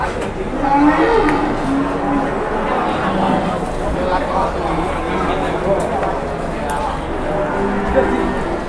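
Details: Very large cattle with huge legs at a busy livestock market; a low, drawn-out moo rises and fades over steady crowd chatter and nearby voices.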